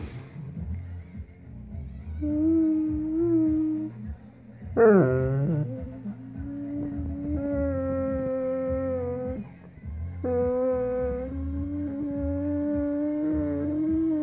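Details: Doberman described as complaining more than an average person, heard indoors making drawn-out whining tones that rise and waver, with a sharp falling yelp near the middle, over a low steady rumble; a person then asks what is the matter.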